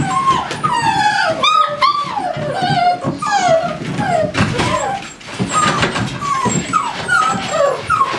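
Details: American Staffordshire Terriers at a kennel, several dogs whimpering and yipping together: high, thin whines sliding downward in overlapping bursts, with a soft woman's voice speaking fondly in Russian.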